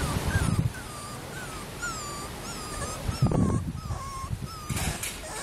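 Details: Young female Schnauzer, born April 13, whines in a string of drawn-out, slightly wavering squeals spaced about half a second apart, with a thump and rustle partway through.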